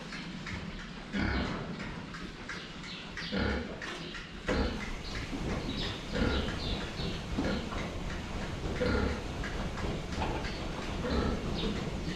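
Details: Several pigs at a water trough, filmed from the front while drinking; short low grunts and snuffling bursts come at irregular intervals over a steady background of slurping and splashing.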